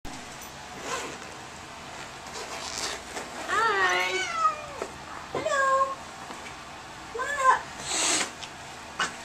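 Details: Angry domestic cat freaking out during a vet visit on the examination table; three drawn-out, wavering, harmonic yowls, the first longest and rising then falling, spaced a second or two apart, with people talking softly and handling noises around it.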